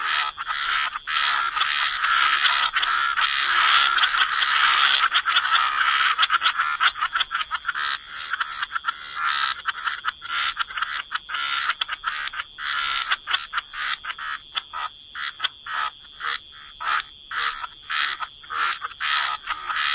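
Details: Frogs croaking by the waterside in a dense chorus: overlapping rasping croaks fill the first half, then thin into separate pulsed bursts roughly twice a second, with a steady high ringing tone beneath.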